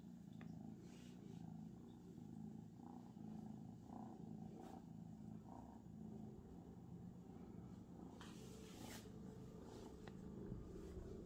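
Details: Abyssinian cat purring, a soft, steady low rumble running through the whole stretch, with faint clicks and rustling noises scattered above it.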